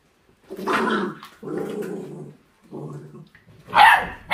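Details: Forty-day-old mixed-breed puppy with raw food, displaying hunting instinct; drawn-out low raspy growls in three pulses, ending with a sudden sharp yelping bark.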